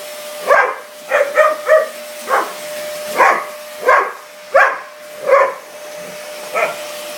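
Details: Mastiff named Diva lunging at a vacuum cleaner, giving bursts of short, punchy barks, some in quick pairs or triplets, with brief pauses between them, while the vacuum's constant motor whine runs underneath.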